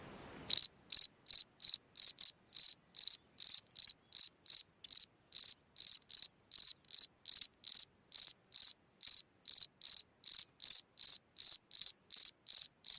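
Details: Singing cricket in a hole in the ground at night. A brief soft rustle comes first, then a long regular series of sharp high-pitched pulsed chirps, roughly 150 a minute, against a silent background.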